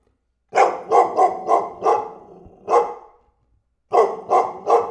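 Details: A dog barking in quick bursts: a run of six sharp barks, a lone bark, then a pause and three more, each bark broad and harsh with strong midrange energy, no other sounds.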